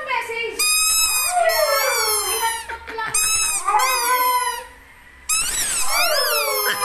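A Siberian Husky gives a wavering, sing-song howl that slides up and down in pitch.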